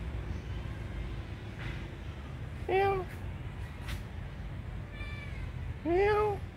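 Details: Pitiful crying from a tiny kitten that seems to need help: two short, arched mews about three seconds apart, with a faint cry between them, over a steady low rumble.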